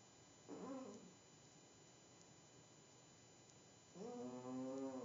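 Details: Indoor pet cat asleep where it should not be, on a table, snoring. A short nasal breath is followed about three seconds later by a longer, fuller harmonic snore. Soft room hiss fills the background.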